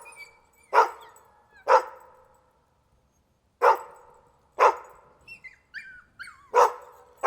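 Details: Dog barking in loud single barks about a second apart, with thin squeaky whining notes between the later barks.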